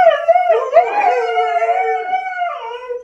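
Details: Indoors, two huskies, one named Phoenix, respond when asked who made the mess; a continuous, talkative howl with quick pitch bends and slight drops, voices overlapping, ending on a lower held note.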